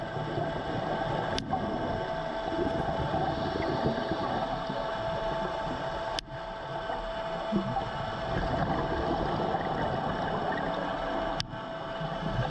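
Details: Sharp, isolated snapping shrimp cracks, a few seconds apart, heard while diving in Grand Cayman, over a steady underwater drone of boat engine noise.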